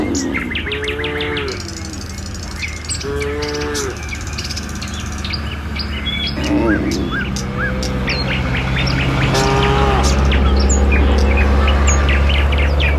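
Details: Morning herd of tame village cattle walking a road toward the pen. Three mooing calls, two close together early and one later, nearly buried under busy, rapid bird chirps and a steady low rumble.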